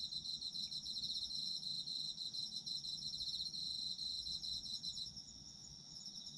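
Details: Chorus of autumn insects, recorded as a sleep ambience: continuous high shrill trilling from several callers, rapid pulses layered together, one voice fading out near the end.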